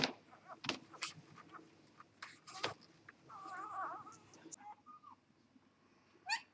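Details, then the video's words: Newborn Vizsla x Labrador puppy on its day of birth during a live whelping: a short wavering, quavering whine, then a brief flat squeak, set among sharp clicks and wet rustling noises close by. "0 Day puppies - 0 Jour - 0 Dia (Vizsla x Labrador)"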